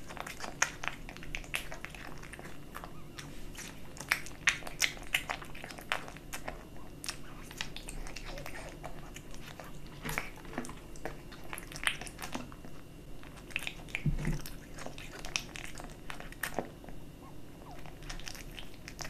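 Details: A kitten chews dry and wet cat food, making bursts of crisp crunches and softer smacking bites that come in clusters, with a low steady hum beneath.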